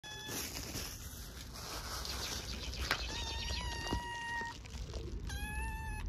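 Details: Hungry orphaned stray kittens on an Istanbul street meowing for food: several long, steady, high-pitched meows, two held for over a second, amid traffic rumble and street noise.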